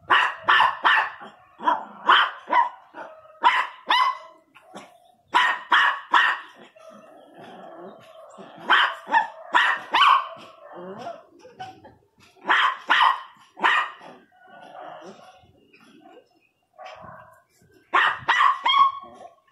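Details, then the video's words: Miniature Pinscher barking fiercely, rapid harsh barks in clustered volleys of three to five, separated by short pauses and low grumbling growls. "pinscher 1 bravo latindo"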